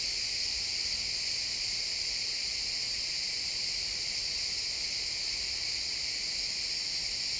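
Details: Pine forest at sunset filled with chirping crickets, an even, high, sizzling trill from many callers without pause, recorded in XY stereo.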